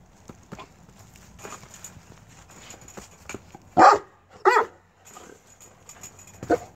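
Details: Tosa Inu in a kennel, sniffing and trying to figure out a person coming close, wagging its tail and jumping; two loud, short barks in quick succession midway, amid sniffing and clattering.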